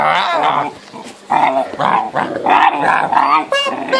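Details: Great Dane puppies, the offspring of Homer and Ula, make a busy run of overlapping tonal growls, whines and yelps in the house. Noisy bursts are broken by brief lulls near one second and again around three and a half seconds.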